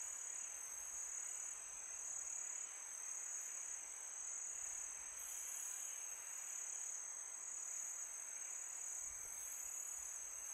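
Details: Chorus of crickets at night in summer: a sustained piercing trill that swells and eases slightly in places, set against a gentle breezy hiss.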